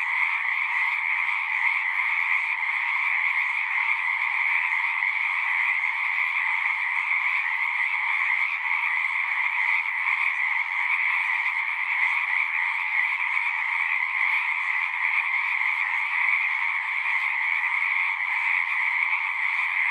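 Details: Frogs singing in a dense, unbroken chorus: countless overlapping trills merge into a steady high buzz with a brighter upper band and a lower one, constant in loudness throughout, with no other sounds.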